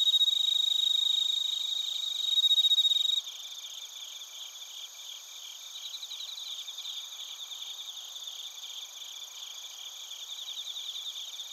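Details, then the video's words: High ringing tones open this Narita, Chiba recording of bell crickets and crickets made with a TASCAM Portacapture X8, then give way to a softer, fast-pulsing, many-voiced insect chorus that trills on steadily. "スズムシとコオロギの鳴き声 - Chirping of crickets"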